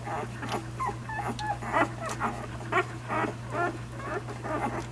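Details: Nursing puppies one week old make brief high squeaks and little wavering whimpers between soft rustling, suckling-like bursts, roughly once a second, beside a continuous low mechanical hum.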